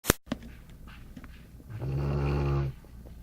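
A Golden Retriever snores once, a low, rumbling drawn-out breath lasting about a second.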